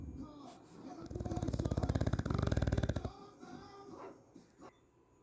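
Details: English bulldog snoring indoors; a loud rattling snore lasting about two seconds with rapid pulsed vibration, preceded and followed by quieter breathing and faint background voices.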